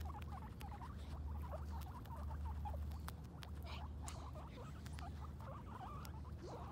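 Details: Two female guinea pigs, Sheik and Penny, on their first time outside, exploring and eating grass; short, quick squeaks and chirps come in irregular bursts over a steady low rumble of background noise.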